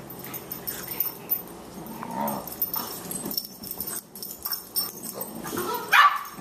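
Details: Two Boxers at play, 14-week-old puppy Margie, 18 pounds, pestering older Lou Dog: soft, low rumbling growls near the middle, then a sharp yip at the end over quiet background.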